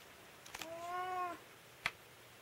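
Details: House cat objecting to having its nails trimmed indoors: a single smooth, drawn-out meow rising then gently falling, preceded by a rustle and followed by a crisp clipper snip.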